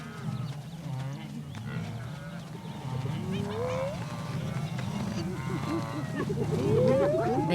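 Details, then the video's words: Spotted hyenas on the African savannah give rally calls that draw the group together; two rising whoops sweep upward, one midway and one near the end, over a low rumbling, murmuring background. "เสียงร้องของการชุมนุมไม่กี่ครั้งและไฮยีน่าลายจุดก็เข้ามารวมตัวกันเทคนิคของพวกเขาได้รับการทดสอบแล้ว"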